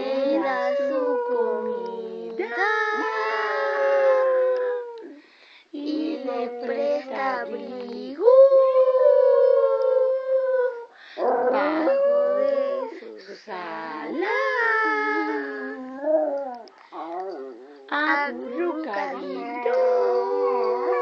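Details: A schnauzer howls in long, wavering tones while a person sings the Spanish children's song "Los pollitos dicen" alongside.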